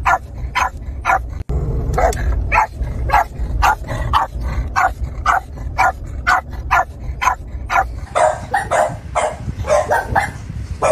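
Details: Boston terrier giving a continuous series of quick, sharp barks about two per second, some yippy and higher, with a brief click-like break early and a constant low rumble underneath.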